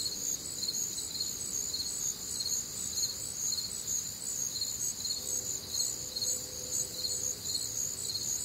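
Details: Night chorus of crickets recorded on a warm, humid summer evening in the Midwest: overlapping shrill trilled chirps pulsing about twice a second, continuous, with a soft faint hum in the background.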